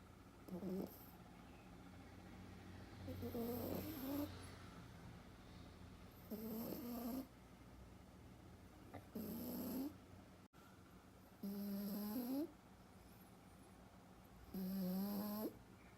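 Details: Tapu, a French Bulldog puppy 125 days old, snores while asleep: six rough, nasal snores, each about a second long with a slight rising whistle, repeating roughly every three seconds in a quiet room.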